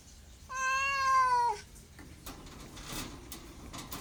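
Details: Domestic cat giving one clear meow lasting about a second, steady in pitch with a slight drop at the end, followed by quiet room noise and faint knocks.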